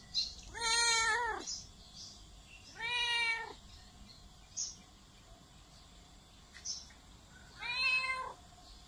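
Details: Domestic cat giving loud, drawn-out meows: three harmonic wails rising then falling, each about a second long and spaced a couple of seconds apart, over a low background hum.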